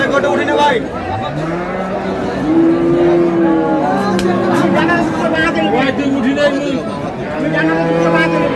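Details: Cows with calves for sale at Ambari cattle market in Dinajpur on April 24, 2026, giving drawn-out, low, wavering moos over steady crowd chatter and men bargaining over prices.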